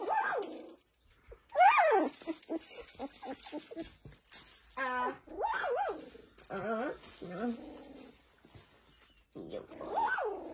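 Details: Several Lagotto Romagnolo puppies, nineteen days old, whine and squeal in bursts of rising-falling yelps, with a quivering wavering whine and a few quiet gaps between calls.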